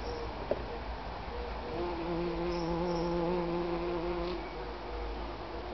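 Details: Bee buzzing in a Wolverhampton garden, UK, in June 2010, a soft hum at first that swells into a stronger, even drone in the middle seconds before easing off again.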